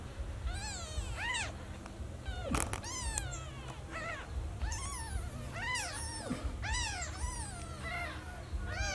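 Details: Newborn kitten meowing for its lost mother: a rapid series of thin, arching meows, some overlapping, with soft clicks and a steady low rumble beneath.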